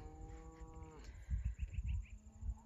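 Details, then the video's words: On an Alberta summer pasture, cows being gathered for a move across the highway give steady, low, harmonic moos that drop at the end, calling to make sure their calves are coming. "you can hear the cows calling a little bit they want to make sure their calf is coming"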